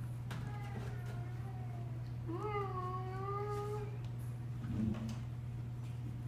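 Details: Pet cats playing with new toys; a fainter short mew comes first, then a drawn-out meow that rises and levels off, held about one and a half seconds, all over a steady low electrical hum.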